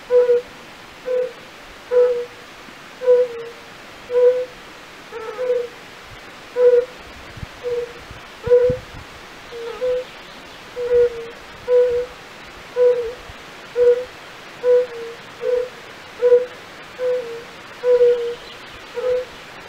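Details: European fire-bellied toad in a castle-park pool at Raduň, Opava district, Czech Republic, calling pleasantly rather than croaking. A steady series of about twenty short, soft, low hoots, spaced evenly just under a second apart, over light hiss.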